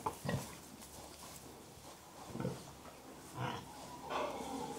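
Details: Contented pigs giving gentle, soft grunts: short low grunts spaced at irregular intervals, a few louder ones standing out against a quiet background hiss.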